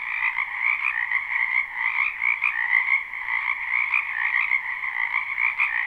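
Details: Frogs croaking in a wetland behind a house in spring, recorded live without looping: a dense, continuous chorus of many overlapping callers in two bright bands, shimmering and pulsing steadily throughout with no other sounds.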